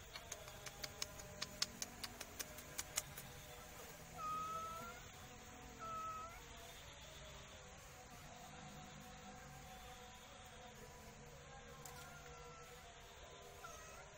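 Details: Two thin, high whistle-like mews from a black cat, about two seconds apart, following a quick run of sharp clicks, with a low constant hum underneath.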